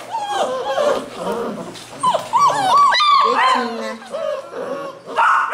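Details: Basset Hound puppies at a kennel in Londrina, Paraná, Brazil, giving a dense chorus of high, wavering whines and short yips that rise and fall in pitch, overlapping one another, with human voices talking nearby.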